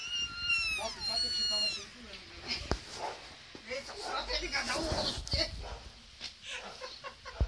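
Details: Kittens meowing: a run of high, thin, rising-then-falling mews packed into the first two seconds, followed by a jumble of murmured speech and handling noise.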